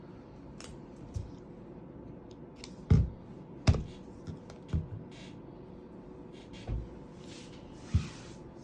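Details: Quiet indoor room with scattered sharp clicks and soft thumps, like scissors or small objects being handled, over a low steady hum.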